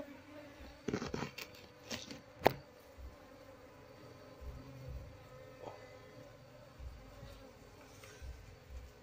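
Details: Steady hum of a wild Apis cerana honey bee colony as the queen is found and caged during transfer into a hive box. Sustained droning tones run under handling knocks and thumps.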